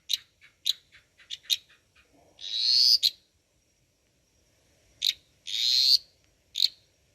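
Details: An Eastern dwarf tree frog, about 25 mm long yet audible from 100 m away, croaks loudly with short high clicks and a loud, buzzy, drawn-out rasping note.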